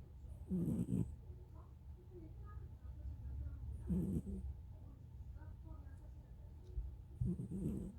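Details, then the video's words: Pet cat snoring, rough breathy bursts with a low rumble recurring roughly every three seconds, quieter wheezy breaths between them. "고양이 코골이"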